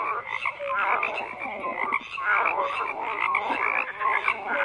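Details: Frogs croaking in a dense chorus: many overlapping rasping croaks swell and fade in waves, with short clear whistled notes scattered through the steady din.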